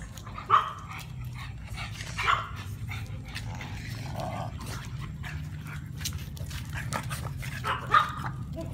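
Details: Dog, one of a group of Brussels Griffon, French Bulldog and pug, giving three short sharp barks spread over several seconds, with a steady low hum underneath and quiet gaps between.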